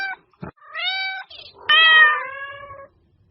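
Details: Domestic cat meows meant to attract cats: a short low yelp, then a steady harmonic meow and a louder falling meow, with brief silences between calls.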